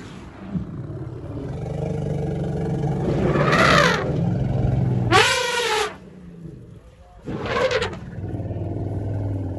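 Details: Khanyisa, an orphaned albino elephant rescued from a poacher's snare in January 2020, greeted by the rescued Jabulani herd at Hoedspruit Elephant Rehabilitation and Development, South Africa. Low rumbling underlies three loud, brassy trumpet blasts rising and falling, with an engine-like hum.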